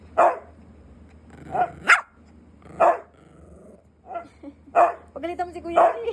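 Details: Pet Siberian husky barking in anger at not being given treats: sharp, loud single barks every one to two seconds, mixed with a woman's scolding Filipino speech and a brief whine near the end.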